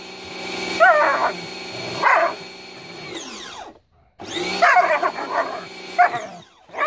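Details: German Shepherd named Bubu snapping at a water hose. It gives two bursts of rough, warbling barks, a silent gap, then a longer run of throaty barking and growling against a constant droning hiss.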